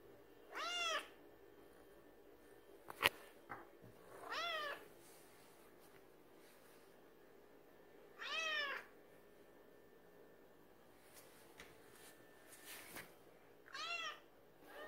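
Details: Indoor cats pressing for a late-night feeding with five drawn-out, downward-curving meows spread across the stretch, plus sharp clicks and knocks around the third second and near the twelfth.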